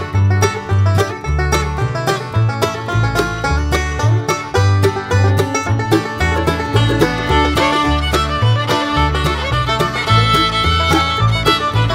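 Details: Lively bluegrass music with plucked banjo and fiddle plays throughout, with no animal voice.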